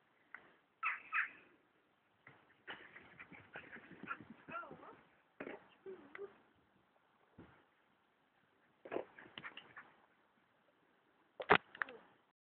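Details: Two female German Shepherd sisters, Lola (black) and Saba (black, brown and gold), playing together as pets; clusters of short, rasping, yappy vocal bursts separated by quiet gaps, with one sharp loud burst near the end.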